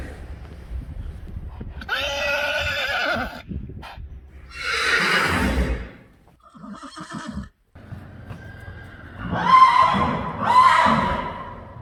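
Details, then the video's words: Friesian horse neighing in several separate bursts: a strained, harmonic whinny, then breathy snorting, and near the end two more high, quivering neighs, with quiet gaps between. "Neighing horses. More than 100 times | April Fools' Day | Friesian Horses"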